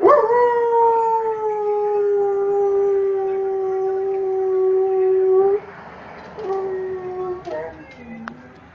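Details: German Shorthaired Pointer holding one long, even howl for over five seconds, then trailing off into short whimpering notes, with a voice faintly in the background.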